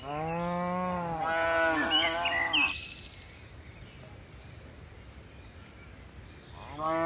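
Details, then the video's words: Cattle among dozens of tame cows hopping down a mountain hillside: a long moo breaking into a wavering higher second part, then near silence with faint background, and a new moo starting at the end. "Suara lucu sapi moo"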